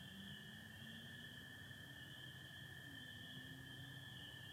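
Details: Michigan night chorus of spring peepers, 24 April 2025, stars and some overcast overhead: an unbroken shrill band of massed calls, with American toads trilling steadily at a lower pitch throughout.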